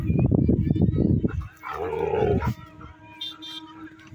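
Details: A Rottweiler in aggressive mode gives a burst of deep, rapid, rough barks, followed by a brief whining tone.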